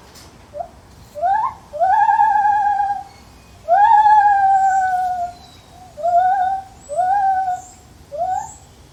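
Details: A lar gibbon in a zoo gives loud, pure hooting notes that swoop upward and then slide slowly down.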